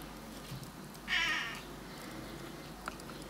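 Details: Male Burmese cat swearing at birds: one loud, tense, wavering meow lasting about half a second, followed by quiet background.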